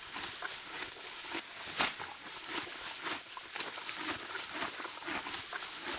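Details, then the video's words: Morgan horse mare cropping deep spring grass outdoors, giving steady crunchy tearing and chewing noises at short irregular intervals, with one louder snap near the middle. "HQ sound of my Morgan Horse spring grazing."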